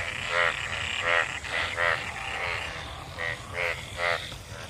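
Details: Frogs gathered in rainwater after monsoon rain, mating; harsh buzzy croaks with stacked harmonics, about seven bursts in under five seconds, some overlapping, over a low rumbling background.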